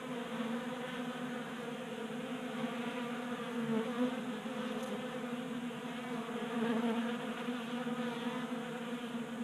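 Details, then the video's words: Honey bees feeding at a 3D printed table-top feeder in a garage in Colorado in January, active during a warm spell: a steady, droning multi-bee hum with a low fundamental and stacked overtones, swelling slightly and fading as bees come and go. "Honey Bees Feasting from 3D Printed Bee Feeder"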